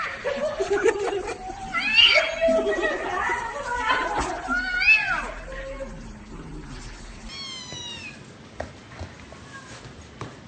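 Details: Little kittens meowing and talking, with human speech over the first half, then a clear series of thin, high, descending kitten meows near the end.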